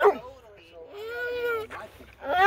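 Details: Basset Hound, described as sleepy and wanting attention, gives a long drawn-out whining howl that rises slightly and holds steady for about a second, with short yelps at the start and end.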